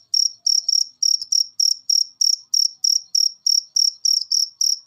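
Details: A cricket's shrill chirping from a recording played so cage birds become eager to sing: crisp, high-pitched pulses repeated about three per second in a steady, even beat.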